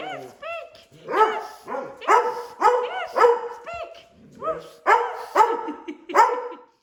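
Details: A group of rescue dogs, including a howling collie and a baying foxhound, speaking on command in a playful chorus: dense overlapping barks, bays and arched howls in repeated bursts throughout.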